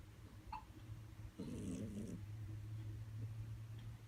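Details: Loud snoring from a pet cat, described as louder than a human: a continuous low drone, and one rasping breath lasting less than a second partway through.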